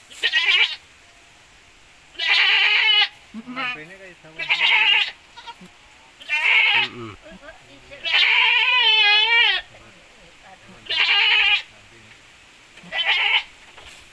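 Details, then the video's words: Goats from a crossbreeding of Javanese goat and Boer cross, described as producing larger kids with better posture; repeated harmonic, wavering bleats about every two seconds, some long and quavering, with brief human voices and laughter. "KAMBING BREDING JAWA X CROSS BOER"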